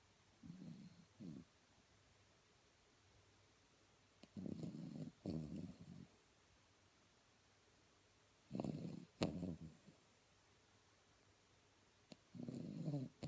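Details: Tiago, a Blenheim Cavalier King Charles Spaniel, sleeping indoors and snoring: low rumbling, throaty snores come in short bursts of one to two seconds, several loud pairs spaced a few seconds apart, with quiet breathing between.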